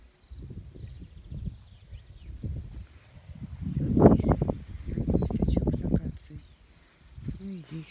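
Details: Menacing roar of lions Lord (Richard) and Rocky at Taigan safari park in Crimea, 26 May 2019: low rumbling grunts swell into a loud, deep roar peaking midway, then further heavy pulses fading out, with a steady high insect whine throughout.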